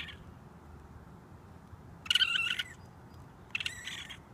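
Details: A raccoon kit on a roof screams for its mother, giving two rough, buzzy squalls, a longer half-second cry followed after a pause by a shorter one, against quiet low hum.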